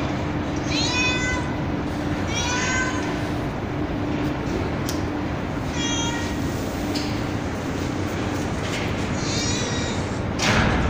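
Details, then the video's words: Street cat with kittens on a rooftop terrace, mother cat calling and kittens meowing: about five high, harmonic, drawn-out meows, some rising then falling, over steady broadband hiss and a low electrical hum. "Billi Ki Awaaz Meow Meow | Cat Voice Sound | Kitten Meowing Video | बिल्ली की आवाज"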